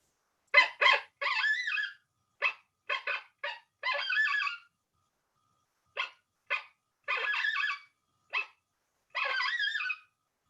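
A coyote gives sharp, high barks mixed with short wavering howls, its challenge bark.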